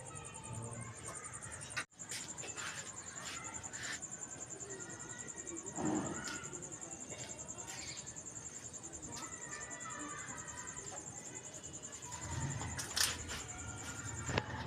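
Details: Cricket heard at night, giving a steady, very high, finely pulsed trill that runs unbroken through the whole stretch, over a background of low rustling, knocks and faint murmuring.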